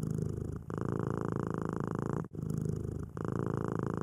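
A domestic cat purring, a steady low rumble that pauses briefly with each breath.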